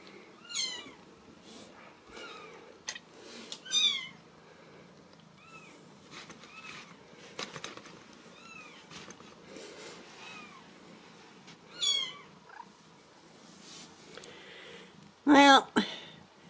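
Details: Insistent high-pitched mewing from Ragdoll kittens born and raised in a home cattery in central Kansas, arched cries repeating in loose bursts, ending with a sudden loud, harsh squall near the close.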